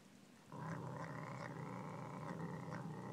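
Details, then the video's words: Household Savannah cat eating pork lets out a continuous low, throaty growl that starts after a half-second pause and holds steady to the end, with a slightly wavering upper tone. "Our Savannah Growling while eating pork"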